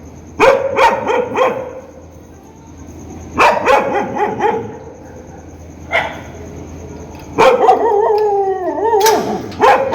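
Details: Dog barking angrily and loudly: clusters of quick sharp barks, a lone bark, then a drawn-out wavering howling bark that slides downward before a final yelp.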